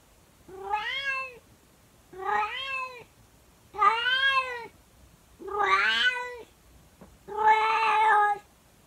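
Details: Calico pet cat's early-morning howling song: five loud, arching harmonic yowls, each roughly a second long, separated by short pauses in a quiet room.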